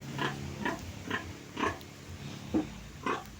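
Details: Sow grunting while being bathed on a farm after her piglets were weaned that morning: short, rough grunts repeated about every half second, six in a row, with a low hum underneath.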